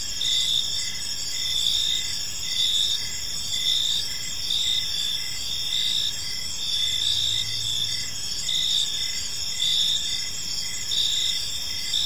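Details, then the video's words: Many crickets chirping together in a park at evening, an unbroken high-pitched trill layered with rhythmic pulsed chirps near once per second, and a soft low rumble midway through. "Cricket Sounds in a Peaceful Park"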